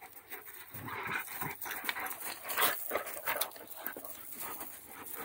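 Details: Dogs at play, heard as bursts of panting, huffing and short whimpering noises, uneven and broken by scuffling, with steady background hiss.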